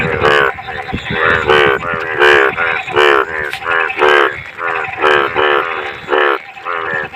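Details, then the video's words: Bhado monsoon frogs in clean water repeat loud, buzzy, stacked croaks at about one and a half per second. Fainter neighbours answer in between, with light ticking noises behind. "मेंढक का रियल आवाज"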